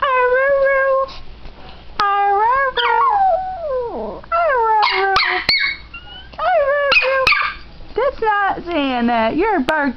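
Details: Dog learning to say "I love you" produces a series of yowling, talk-like howls and whines, some sliding downward, others wavering, roughly one phrase every two seconds, with clicks and small handling noises between them.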